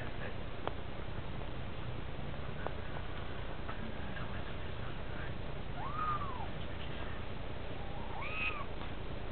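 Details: Young kittens, some of them Munchkins, in a playpen, giving two short arched meows late in the recording over a steady background hiss with scattered clicks.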